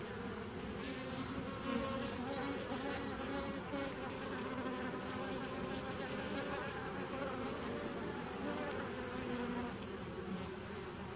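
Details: Bees humming without break on 27 September 2018, a busy layered buzz with deep hum below and occasional louder wingbeat swells.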